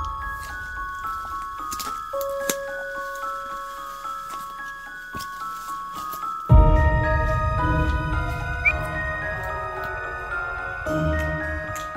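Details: Gentle glockenspiel and chime melody plays over a soft background, with fuller mallet percussion and a low, warm accompaniment joining halfway through; no animal voices are heard.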